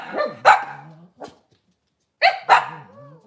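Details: Kitchen-cam recording of Cavalier King Charles Spaniels during a puppy live stream: two pairs of loud, sharp barks with a short gap between them, and a lower murmuring tone underneath.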